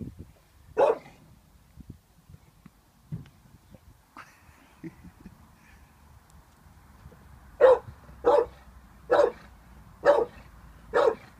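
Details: An 18-month-old Staffordshire Bull Terrier named Vinnie, wary of a balloon, gives one bark, falls quiet with small shuffling noises, then fires off five quick barks in a row near the end.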